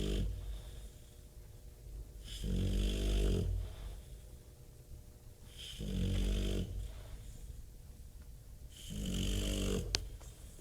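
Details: Snoring Bulldog called Bob: three rough, buzzing snores about three and a half seconds apart, each rising in loudness then fading. Between them come soft breaths and a brief sharp click near the end.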